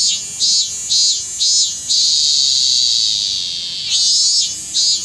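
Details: A robust cicada (minmin-zemi) still singing late in the season, in Kanagawa, Japan, around midday on 25 August 2010, gives loud, shrill pulses that merge into a long steady drone before pulsing again.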